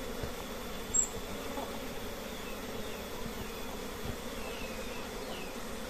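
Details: Honey bees from many colonies at a simple nest give off a steady, low droning hum with no breaks.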